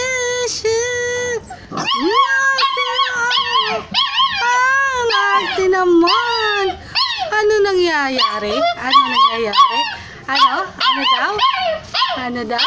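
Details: Several hungry stray puppies call for their missing mother in a dense chorus of overlapping whimpers and whines. The cries swoop up and down in pitch, some sliding low into drawn-out moans, with barely a pause.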